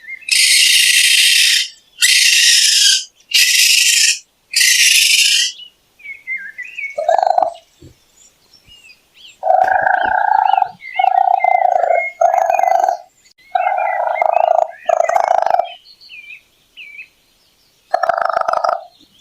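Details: Raccoon starting with four harsh, hissing screeches, then switching to lower, tonal whining cries repeated in short bursts, mixed with faint chirpy squeaks.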